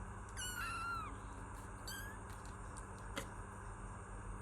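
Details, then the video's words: Kitten meowing: one clear falling meow with rich harmonics, then a short faint second meow around two seconds, a click near three seconds, over steady low background hum. "Kittens Meow || Kucing Mengeong || Meow Sound Effect || Kitten Sound"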